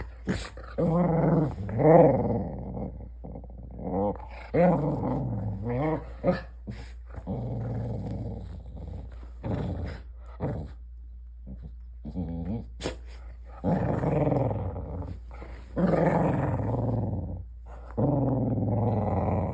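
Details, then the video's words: Indoors, a border collie produces a weird sound: bursts of low grumbling growls with wavering, yodel-like rises, separated by pauses, with some faint speech in between. "Weird sound"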